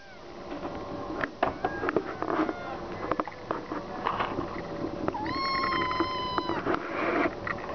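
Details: Kitten begging for food: after several seconds of clicks and clattering, one long, steady, high-pitched meow held for over a second, followed by more rustling and knocking.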